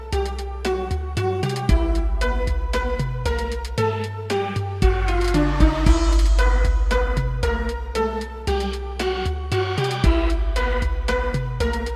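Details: Electronic dance music with a steady drum-machine beat and synth chords, no animal voices present.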